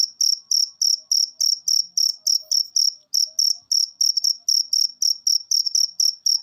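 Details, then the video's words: Cricket chirping, played to coax cage birds into singing: loud, high, rasping pulses repeated steadily about three to four times a second, each short burst sharply clipped, with nothing else audible behind them. "Masteran Jangkrik Ini Bikin Burung Peliharaan Anda Gacor"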